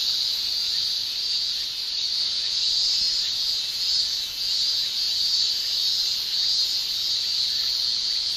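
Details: Male cicadas shrilling in a Japanese summer, a continuous high, hissing drone from tymbal song, holding almost steady with only gentle swells in loudness and no other clear sounds.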